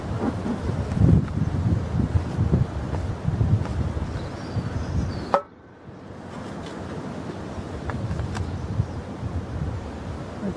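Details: Outdoor wind rumble and low buffeting noise fill the first half, then the level drops sharply into a quieter steady hiss, with no animal voice heard.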